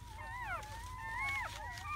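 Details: Newborn German Shepherd puppies in their first hours, a litter of seven born in May; thin, drawn-out whining tones sliding up and down, several pups overlapping, over soft background music.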